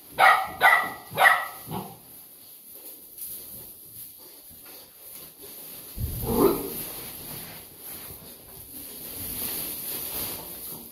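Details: Golden Retriever, two months old, with a quick run of four high barks at the start, then a low muffled bark and soft background rustling.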